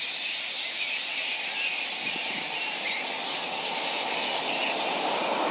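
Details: Little red flying foxes roosting at Boonah, Queensland, Australia, 19 February 2014, before a dispersal by council and contractors. A thick, steady wash of high-pitched squeals and chattering, with no pauses.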